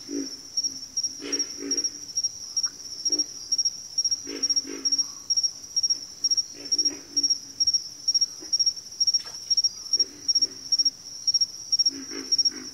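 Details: Croaking frogs in a backwater, giving low guttural grunts in irregular bursts of one to three. Over them sits a pulsing high insect chirp that beats steadily about twice a second.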